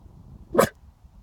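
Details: Ted, a pet dog, barks once in a mystery freak-out over nothing, perhaps fog in the distance; a single sharp, loud bark.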